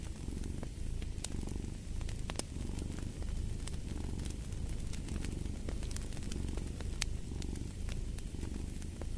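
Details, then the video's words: Low, rhythmic cat purr rising and falling with breathing cycles, set against the frequent snapping and sizzling of a fire in a fireplace. "Fall asleep to the Purring of a Cat"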